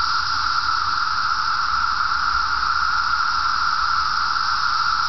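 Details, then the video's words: A dense chorus of 17-year periodical cicadas in an Illinois forest preserve on 14 June 2007: a steady, unbroken whirring drone with a hissing edge. "Periodical (17-year) Cicada noise"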